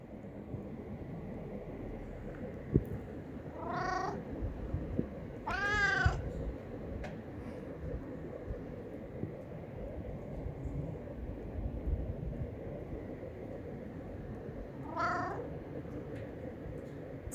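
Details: Homeless tabby cat, a male street cat, meowing while begging for food and hugging a leg; three drawn-out harmonic meows near 4, 6 and 15 seconds, the middle one loudest, over steady low street rumble.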